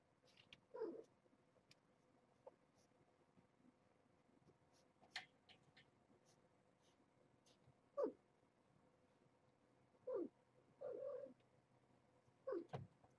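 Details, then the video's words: Mother cat Nala Se, one year old and found as a stray, calling to her kittens one morning at Purrfect Pals; separate short meows every two seconds or so, one longer flat-toned cry, faint clicks between. "Clone Trooper Kittens - Lessons from Mom"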